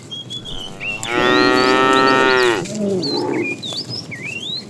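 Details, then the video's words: Tame cows being herded in the morning toward green fields; a long flat moo of roughly one and a half seconds ending in a lower grunting tail, with birds whistling and chirping around it. "Funny cow sounds"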